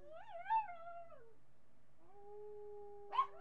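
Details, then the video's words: Marty, a miniature pinscher, caught on webcam July 8, 2011, gives a wavering howl that dips lower, a pause, then a flat sustained tone broken by a sharp yelp. "Marty howling min pin"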